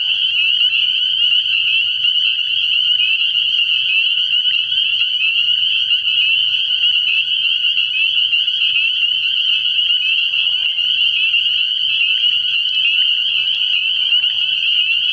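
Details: Spring peepers calling at night from a frog pond early in the year: a dense, unbroken chorus of high, shrill piping notes from many frogs at once, with a faint low hum underneath.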